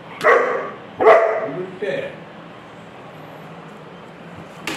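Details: Rottweiler puppy barking on seeing a roll on a chair, three short, high, sharp yelping barks about a second apart, each fading quickly, with a human voice and faint background noise.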